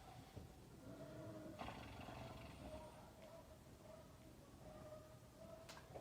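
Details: Horse named Ken-chan asleep and snoring, a very rare occurrence; low rough breathy rumbles with brief broadband bursts around 1.6 s, over a steady humming background tone.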